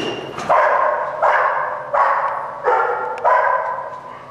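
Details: Malachai, a German Shepherd Dog in Schutzhund protection work recorded February 28th 2010, gives five sharp, rough barks spaced under a second apart, each starting abruptly and fading, with no other clear sounds.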